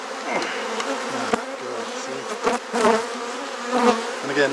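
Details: Steady hum of honey bees at an opened hive in a Perth, Australia garden while frames are swapped, with repeated clicks, knocks and brief wavering tones from the work on top of the drone.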